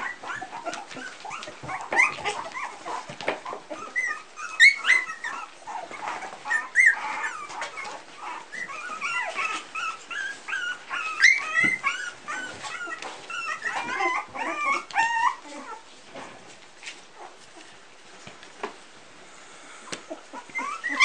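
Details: Several three-week-old Pumi puppies from one litter squealing and whining at once, dense wavering high cries and short yips that thin out toward the end, when the calls fade.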